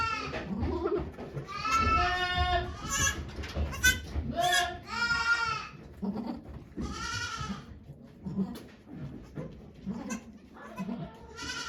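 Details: Goats bleat as Okayu gives birth to two kids at Yoshigake farm in Japan on 3 May 2023, surrounded by volunteers. Several short, quavering bleats cluster in the first seven seconds, over steady human chatter that continues afterwards.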